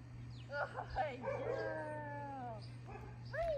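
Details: Dakota, a female Great Dane in her second week of training, working outside and corrected with an e-collar when leaving a command: wavering, drawn-out whines with one long steady tone, then a short rising yelp, over a constant low hum.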